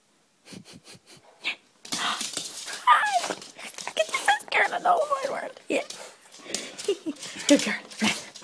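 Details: Pet dog Céilí, excited as its owner comes home, gives high, wavering whimpers and whines in a small indoor room, mixed with a person talking and cooing back to it.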